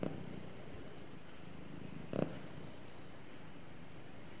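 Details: Cat snuggling with its owner and purring, a soft continuous low rumble, with one louder breathy swell about two seconds in.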